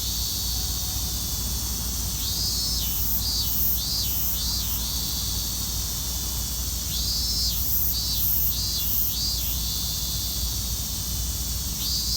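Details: Robust cicadas singing in Hibiya Park on 20 August 2019: a steady high shrill drone with repeated pulsed phrases that rise and fall in bursts, several callers overlapping in a continuous chorus.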